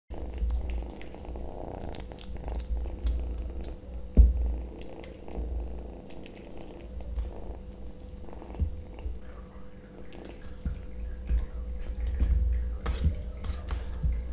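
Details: Kitten eating sausage indoors, giving a low, continuous rumbling purr that swells and fades, with soft wet chewing clicks and a steady electrical hum underneath.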